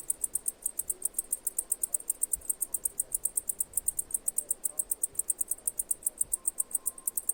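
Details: Cicada chirping: a steady train of short, high, sharp pulses, about six each second, with an even rhythm throughout and a faint low hum beneath.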